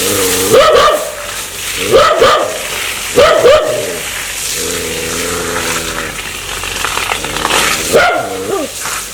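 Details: Aggressive dog said to want to bite people gives harsh, yelping barks in bursts roughly every one to two seconds, with a drawn-out whining tone between them and steady background noise.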